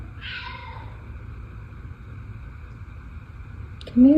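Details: A male F2 Savannah cat gives one short, falling meow in the background while a crow sits on the back porch, followed by a steady faint hum and a person speaking at the end.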